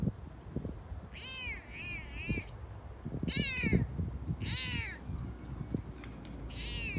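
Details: Excited on a walk, Frodo the Toyger keeps talking: five or six loud, bright meows, several with wavering double-humped contours, spaced about a second apart, with scuffing and thumping noises underneath.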